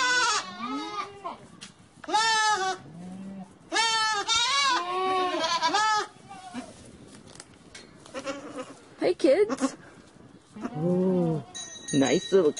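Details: Goats bleating in a series of loud, wavering, harmonic-rich cries of about a second each, some higher and strained, others lower and shorter, with brief pauses between calls and faint background noise.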